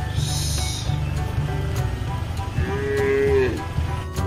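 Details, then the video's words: On a modern cattle farm, a mother cow lets out one steady moo of nearly a second, slightly wavering and dropping at the end, above a continuous low engine-like hum. "SUARA SAPI COW !! SUARA INDUK SAPI !!!"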